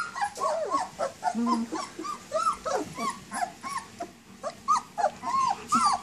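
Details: Several 19-day-old German Shepherd puppies, up and moving around, whine for their mother: a dense overlap of short high arched whimpers with rising-falling pitch, some longer drawn whines, closely spaced throughout.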